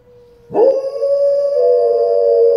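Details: Pet dog howling in response to a live tornado warning siren: a sustained, slightly wavering mid-pitched howl begins abruptly and holds steady, layered over the continuous droning tone of the siren.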